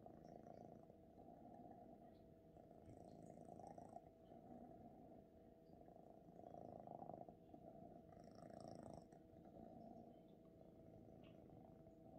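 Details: Purring from a young male Ragdoll kneading with its paws, a continuous rough low rumble that swells slightly around the middle and near the end, with a few faint soft rustles above it.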